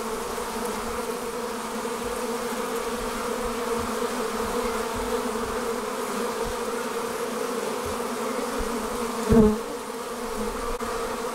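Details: Departing honey bees forming a swarm hum in a steady, thick buzz; one bee zooms close, giving a brief louder rising whine before the drone settles again.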